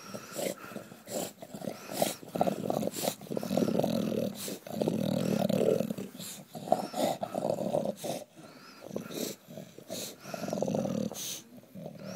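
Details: A dog at play with its tyre gives long throaty growls that swell and fade in uneven waves, with brief snorts and frequent sharp knocks and scrapes from the tyre throughout.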